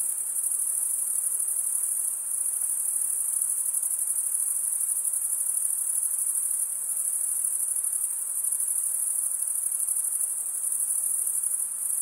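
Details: Many crickets chirping through wing stridulation, making a relentless high, fine-grained ringing trill with slight swells in volume every few seconds; no breaks and no other sounds present.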